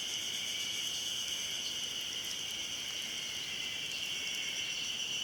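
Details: Ezo-haruzemi cicada singing on Mount Hayama, Nagai city, on 24 May 2015: a dense, steady high-pitched chorus of ringing buzzes, continuous for the whole stretch with a faint pulsing texture.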